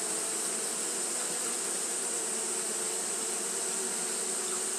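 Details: Fanning Japanese honey bees on a hot day give a continuous, even hum with layered low tones and a constant high sizzling band, no pauses or changes across the short stretch.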